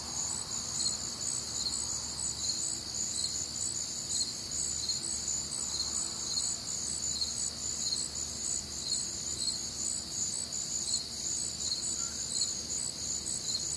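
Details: Warm, humid summer night in the American Midwest with crickets chirping: continuous high trills and regularly spaced pulsed chirps overlapping from several insects, steady loudness, faint low hum underneath.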